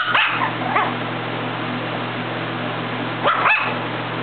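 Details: Marleigh, a pet dog, playing on a bed and giving a few short, sharp barks: a quick pair at the start and another pair near the end, with a steady low electrical hum underneath.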